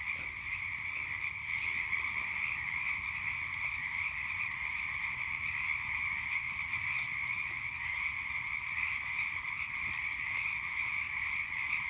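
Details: Frogs in a night chorus, a smooth, continuous high trill in layered bands, with only faint occasional crackles from a nearby campfire.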